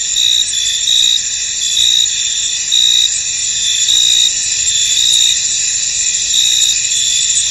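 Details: Crickets chirping in a field under fog: a continuous high buzzing chorus marked by short louder trills repeating about once a second, fairly evenly spaced, with no other sounds.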